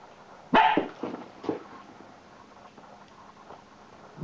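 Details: Irish Water Spaniel puppy acting up: one loud, harsh bark opens, followed by two softer short yips about half a second apart, a quiet pause with faint low sounds, then another sharp bark at the very end.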